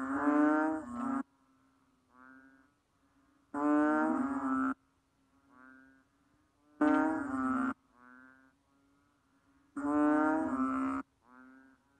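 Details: Banded bullfrog giving four loud, nasal, cow-like moos, each just over a second long and spaced about three seconds apart, with fainter, softer calls in between.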